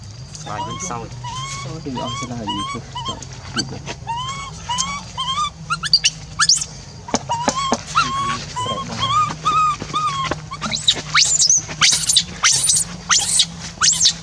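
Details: A monkey left alone keeps crying to call back a companion who left, crying until it loses its voice: a string of tonal upward-bending coos that later give way to harsh, high shrill screams, over a low steady drone.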